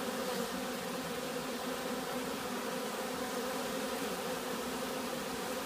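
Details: Bees buzzing in a steady, dense drone with a low hum throughout, possibly robbing or some other excitement, no pauses or other clear sounds.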